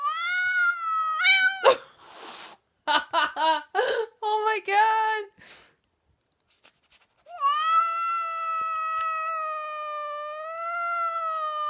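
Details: Siamese cat reacting to a funny noise made by its owner indoors: bursts of loud, wavering, drawn-out yowls and stuttering meows, ending in a long sustained wail, with a person talking in between.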